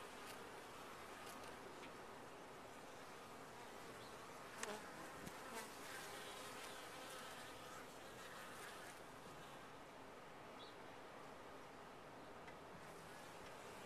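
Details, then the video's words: Honey bees massed in a top-bar hive produce a constant low hum, broken by a couple of sharp clicks and louder close buzzes from individual bees. "Bees in a topbar hive"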